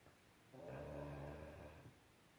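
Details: Gunny, a mastiff with a little cold, snoring while snuggled up to his pillow indoors; one low, rumbling snore with stacked harmonics lasting over a second, in an otherwise quiet room.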